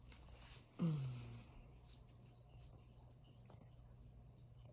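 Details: Alaskan Malamute family of three, Sojou, Fish and Dotty, resting together indoors while Sojou nurses a chipmunk stuffy during a false pregnancy; one low, falling groan about half a second long, then a steady low room hum.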